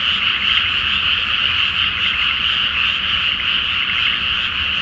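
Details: Frog chorus at night in a water-filled paddy before rice planting, Japan, full moon; dense trilling croaks with slight rhythmic pulsing, individual callers merging into a constant high buzz.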